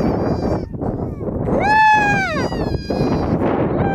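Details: Harp seal pup filmed up close in 2019, giving one drawn-out, harmonic bleating cry that rises and then slides downward, over a constant rough background noise.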